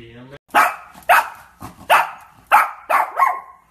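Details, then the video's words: Barking Shih Tzu: about six forceful, rough barks spaced roughly half a second apart, the last two coming close together. "SHIH TZU BARKING"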